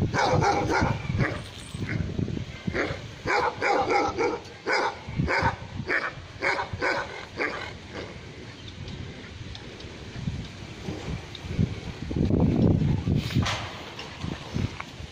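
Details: Dogs barking at Naaz Kennel in Khanna, Punjab, a kennel keeping Tibetan Mastiffs and Gaddi dogs: a rapid run of loud, harmonic-rich barks roughly every half second for seven seconds, then fewer, scattered barks over low rumbling background noise.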